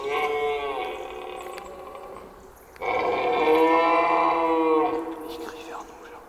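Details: A mature red deer stag bellows during the September rut in the Cerisy forest, France, giving two long, droning, harmonic roars that signal his presence to females and rivals.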